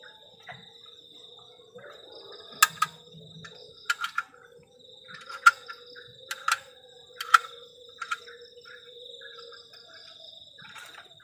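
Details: A continuous high, thin cricket trill on a cold night at a forest-edge camp, steady from start to end, broken by sharp clicks and knocks from camp activity between about two and eight seconds.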